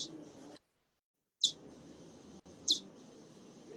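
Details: A recorded bat call, played to show that bats' calls differ between species and with activity such as hunting: two short, high-pitched, downward-sweeping chirps about 1.25 seconds apart over steady hiss, broken by a brief silent gap.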